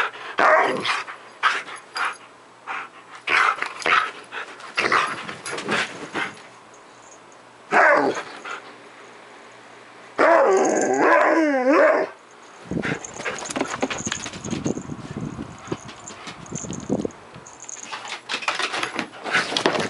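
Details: Aging Siberian Husky acting wild in the morning, dense clusters of barks and growly vocalising, a drawn-out wavering howl in the middle, then a jumble of noisy thumps and yelps with some background clatter.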